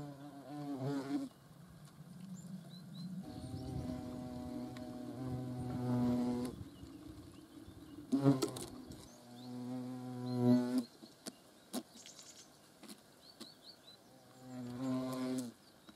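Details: Hornets flying close by produce repeated droning buzzes, low and harmonic-rich, rising and falling in loudness as they pass in several bouts of one to three seconds, separated by short lulls and faint clicks.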